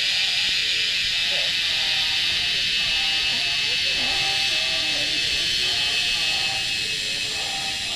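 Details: Insects on the mountain at Wat Phrathat Doi Suthep, Chiang Mai, northern Thailand, females calling males to mate: a dense, unbroken high shrill hiss, steady throughout, with faint voices murmuring underneath.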